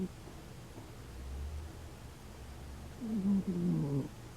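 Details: An elderly female dog snores in her sleep, a low rumbling breath followed by a louder, wavering whistled snore that dips and wobbles near the end.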